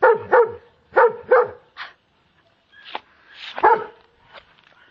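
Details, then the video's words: A German Shepherd afraid of a Kong toy, barking in bursts: a quick double bark, then another double, followed by several looser, rougher barks and a whine over five seconds, indoors with a quiet pause between. "Calvin, a brave german shepherd."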